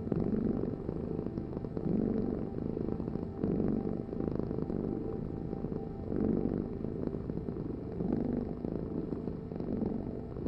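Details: Purring cat, deep and even, the rumble pulsing in slow breaths about every one to two seconds, nothing else prominent.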